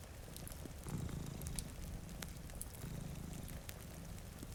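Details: Purring from two sleeping house cats by a rainy window near a fireplace: a deep, continuous throbbing rumble swelling slightly mid-clip, dotted with crisp fire crackles and faint rain.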